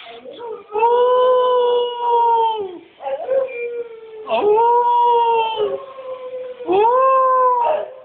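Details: Cocker Spaniel "singing" alone while missing her owner who is away: a series of long, drawn-out tonal howls, each starting with a quick rise and holding steady for about two seconds, with short breaks between them.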